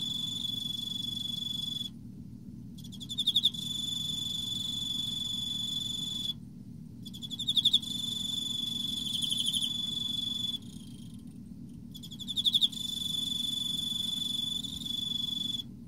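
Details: Repeated chirping of an Emma field cricket in autumn: three bursts of rapid high pulses roughly every four to five seconds, separated by pauses, with a steady shrill tone and low rumble behind.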